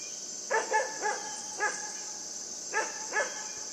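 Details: A puppy called Yufie plays with a buck, barking in quick high yips, three together, one alone, then a pair, over a steady buzzing insect background.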